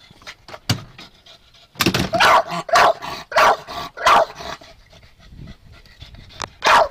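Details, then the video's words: Chester the dog, impatient to ride his beloved golf cart, gives a few faint clicks and breaths, then a burst of five quick barks, a pause, and one final bark. "My Dog, Chester Is Barking At My Golf Cart"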